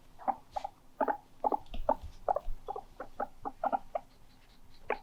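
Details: Pet guinea pig indoors calling loudly, a rapid series of short squeaky chirps, about three per second, bursts repeated over five seconds with light rustling beneath.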